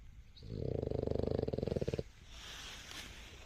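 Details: Boston Terrier snoring while asleep: one drawn-out, low, rattling breath of about a second and a half, pulsing rapidly and evenly, followed by a quieter soft exhale and faint room hiss.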